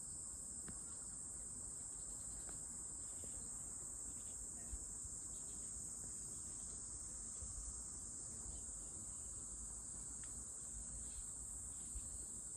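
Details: A cicada drones continuously, a flat, shrill buzz that never varies in pitch or loudness, over faint low background noise and a few tiny clicks.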